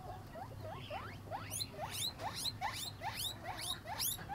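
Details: Pet guinea pig while eating: a series of rising, whistled squeaks, about two or three per second, each sweeping quickly upward to a high pitch, over a soft low background rumble.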